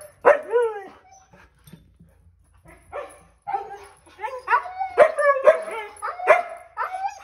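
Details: Two Siberian Huskies, Kovu and Luna, worked up on seeing their harnesses before going to the dog park, let out short bent howls and yelping barks after a quiet stretch, growing busier and louder toward the end.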